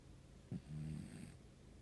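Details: Cat in deep sleep giving a single low snore, a faint click-like start then a half-second buzzy, rattling drone that fades into quiet background hiss.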